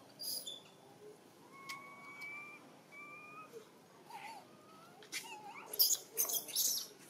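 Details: Dito, a baby macaque from Siem Reap Province, crying because he cannot wait for milk: a run of thin level whimpers, then shorter upward-bending cries amid rustling and clicking noises.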